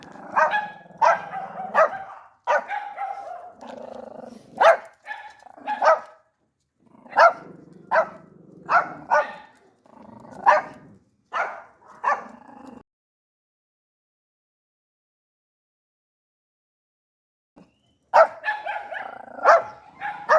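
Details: Yorkshire Terrier, a small energetic breed that barks to alert its owner to anything strange, giving sharp high yappy barks in quick irregular bursts, some doubled, then about five seconds of silence before another rapid run of barks.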